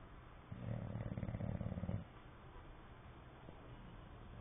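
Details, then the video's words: Sleeping English Bulldog snoring with lips flapping; one deep, pulsing, vibrating snore lasting about a second and a half, followed by soft, quiet breathing. "English bulldog snoring and flapping"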